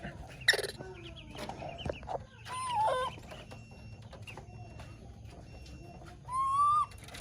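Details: Young monkey whistling for its mother: clear rising whistles, one mid-clip and a stronger drawn-out one near the end, over constant high chirps, clucking fowl and scattered knocks.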